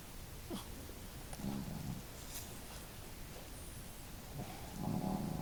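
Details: Snoring from the family dogs Marimo, a female, and Daigoro, heard indoors; two short, low, buzzing snores about three seconds apart, separated by soft breaths and small clicks.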